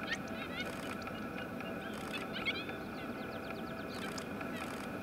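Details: Five coyote pups cuddled together answer their mother's returning howl with a chorus nearly a minute long, a high, wavering chorus of overlapping quavering howls and yips; the runt gives a little chirp at the end.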